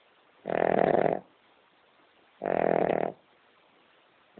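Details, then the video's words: King Charles Spaniel Amber snoring her head off while asleep indoors: two long, rattling snores of under a second each, two seconds apart, a third beginning at the end. "Have you ever heard a dog snoring as LOUD as this one?"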